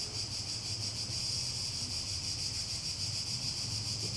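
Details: Loud, unbroken high-pitched cicada buzz with a fast shimmering pulse throughout, over a steady low hum in the background.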